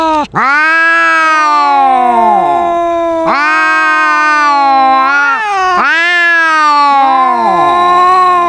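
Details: Argument between two cats, a rival with a booming voice: three long, sustained wails, each starting abruptly, holding a steady pitch and then bending downward, with a second voice layered on top.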